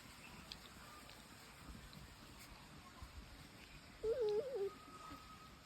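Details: Hoolock gibbons giving one brief wavering hoot near the end that rises and falls in pitch several times over a low, steady background hum.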